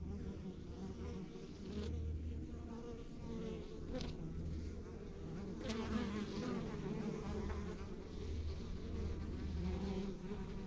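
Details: Rural backyard beehive of honey bees giving off a constant low hum, thick and even, with a few brief sharp clicks or taps cutting across the drone.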